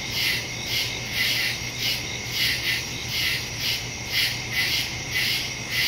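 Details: Crickets chirping in a night-time woodland, September 2, 2023, Samsung Galaxy S22 Ultra phone with Shure MV88+ stereo mic; many high-pitched callers merge into evenly pulsing waves about twice per second, with a low constant hum.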